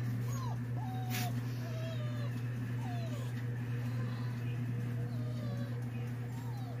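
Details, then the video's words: Pet Siberian Huskies reacting to a dog sound played through a cellphone: thin, high whines that slide downward, repeated about once a second, faint over a loud steady low hum, with one sharp click near the start. "My dogs' reaction after hearing a dog's sound played thru a cellphone"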